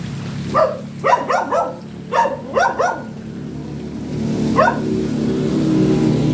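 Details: Dog barking in short bursts: a single bark, then quick clusters of two to four barks, a pause and a final lone bark, with a low engine-like hum building beneath in the last seconds.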